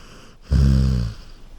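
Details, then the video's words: A sleeping Golden Retriever on a couch lets out a single low, vibrating snore of about two-thirds of a second, rough and throaty, then settles back to quiet. "A Golden Retriever Sleeping & Snoring on a Couch"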